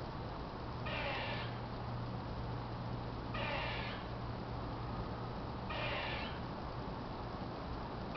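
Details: Very upset squirrel high up on an apartment building, making quite a racket: three harsh, noisy chattering bursts, each about half a second long, come roughly every two and a half seconds over a steady low hum.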